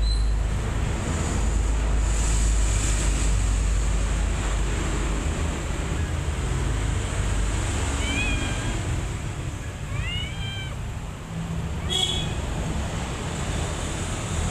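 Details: Mother cat and kittens; after a stretch of low rumbling and hiss, three short high meows arrive between eight and eleven seconds, each arched and bending downward. A sharp click follows near twelve seconds.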